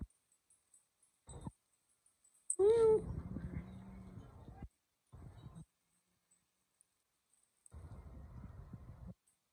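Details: Kittens: one short, high, harmonic meow that bends slightly downward, then a stretch of rustling and handling noise, with brief muffled thumps and bumps before and after.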